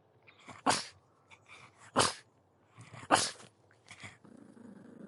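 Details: Pug giving sharp, harsh barks spaced about a second apart, with softer huffing and snorting sounds between them and faint background hiss.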